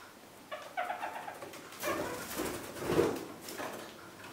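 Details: Kakariki kept as pets pick at fresh spring cuttings of currant and blackberry shrubs. Early on come a few short, nasal chattering notes, followed by louder rustling of twigs and leaves.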